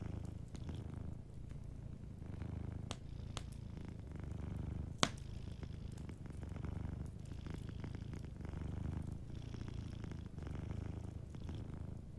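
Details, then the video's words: Soft, steady low purr from a sleeping cat beside a cozy fireplace, with gentle breath-paced swells and a few sharp crackling pops from the fire, the loudest about five seconds in. "Warm Fireplace Ambience with a Sleeping Cat 🐱💤Fireplace & Soft Purring"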